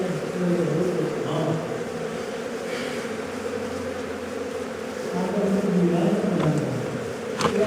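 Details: Bees swarm and drone as honey is taken from a hive found inside a house. The low, continuous humming grows fuller near the end, with voices and clatter mixed in.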